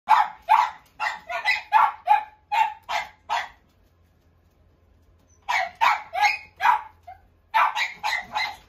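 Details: Corgi barking in quick runs of sharp, bright barks, about two to three per second, with a pause of roughly two seconds between bursts and little else audible.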